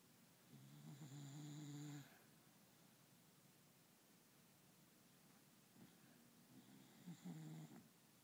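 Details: Dog snoring indoors: a low rumbling snore lasting about one and a half seconds, a long quiet pause, then a softer, shorter snore near the end.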